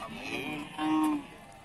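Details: Short moo from cattle at the Pasar Wage Bumiayu cattle market, Indonesia, a soft lead-in swelling into a brief louder bellow, over murmuring market noise.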